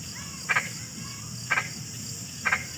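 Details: Three evenly spaced frog croaks about a second apart, each a sharp two-part pulse, with a continuous thin high whine running underneath.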